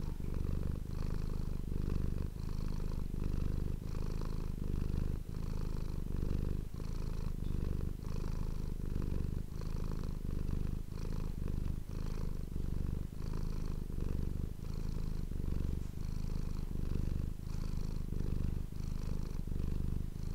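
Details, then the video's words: Domestic cat purring steadily into an ASMR microphone; a deep, rolling rumble pulses with each breath over a long stretch, calm and even with no other sounds. "ASMR cat purring ❤ Manis die aan het spinnen is"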